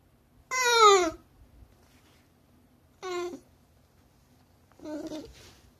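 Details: A 15-year-old Shiba Inu appeals for something indoors, giving three whines: a long, loud one that falls in pitch, a shorter softer one, then a rougher, hoarse final cry, with faint low room rumble between.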